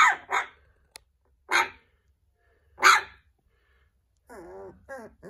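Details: Little puppy 'talking' to a person with clipped, high yaps, a quick double bark followed by two single ones, then a soft wavering whine near the end, indoors and otherwise quiet.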